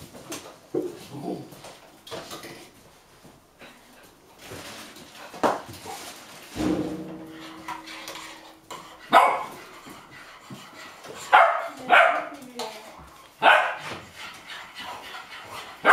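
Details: Hungry eight-and-a-half-week-old Golden Retriever puppies barking impatiently as their meal is prepared, Haute-Savoie, France, January 2013; scattered short barks and yelps among long quiet gaps, with dishes and cutlery clinking in between.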